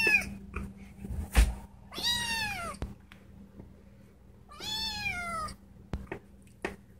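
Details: Female pet cat kept indoors, crying to be let outside; two long, wavering meows that rise then fall, about three seconds apart, over a faint room hum with a few clicks.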